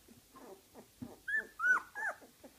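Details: Young puppies indoors giving a few short squeaky whimpers, three clearer rising-then-falling whines near the end, with soft shuffling and snuffling sounds between them.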